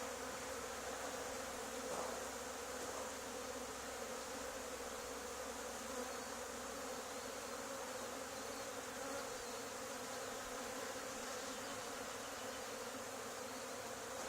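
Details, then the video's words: Dense, continuous droning of a honey bee swarm on an old barn wall, two days after a hive cutout from the same barn; an even, unbroken hum that fills the whole stretch during the swarm removal. "Honey Bee Swarm removal from old barn 2 days after cutout of another hive"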